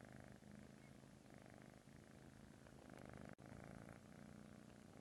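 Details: A British Shorthair kitten purrs softly in a steady, low, rumbling stream.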